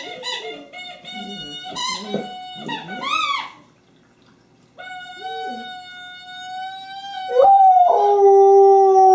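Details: Pet dog Honey with her favorite squeaky toy, recorded 24 January 2012: choppy squeaks and yips at first, a pause, then a long steady toy tone before her howl slides in loudly at the end.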